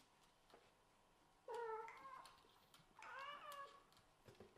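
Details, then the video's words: Scottish Fold and British Shorthair kittens squabbling over a favourite bed; two clear, drawn-out meows, the first steady and tonal, the second higher and wavering, with a soft squeak near the end. "The appearance of fighting over the bed of small kittens is too cute."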